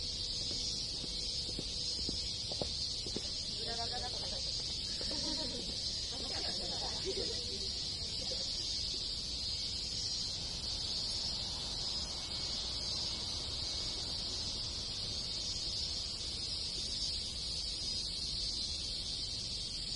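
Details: Countryside in Japan in summer with a crowd of cicadas and other insects shrilling in one continuous high-pitched wall of sound; murmured human voices pass early, then only the insect drone remains.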